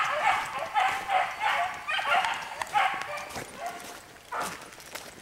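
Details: Dog chasing a hare gives a quick run of sharp yelps in the first three seconds, then fades away into quieter outdoor background with faint voices.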